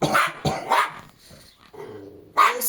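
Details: Jack Russell Terrier Treisy, one of two household dogs with Azzuro, scolded in Latvian for being very loud: four sharp, high barks, two close together, a third soon after, a last after a quiet pause with faint murmuring.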